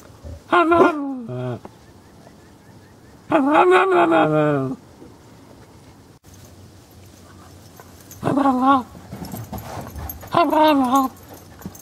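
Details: Female Cairn Terrier Dezi "talks," giving drawn-out, wavering howl-like vocalizations that rise and bend in pitch.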